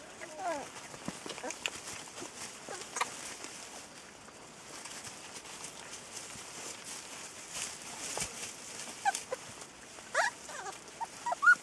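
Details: Ten newborn Rhodesian Ridgeback puppies of the female Ridja, recorded around feeding, give soft, scattered high squeaks and thin whimpers throughout, overlapping one another, with a few sharper, louder whines near the end over a low background hiss.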